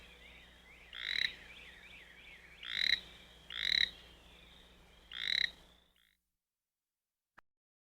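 A toad gives four loud, rasping croaks at irregular intervals over a soft background chorus.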